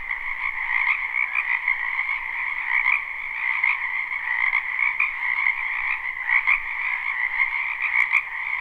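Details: Springtime wetland frogs calling together, recorded live without looping: a thick, steady wall of trilling croaks in two pitch layers, with small surges of louder calls and a few sharp clicks near the end.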